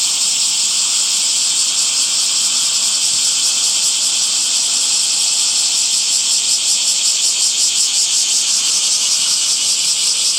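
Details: Cicadas singing in summer: a dense, unbroken high-pitched buzzing drone with no pauses, growing a rapid throbbing pulse in its second half, steady in loudness throughout.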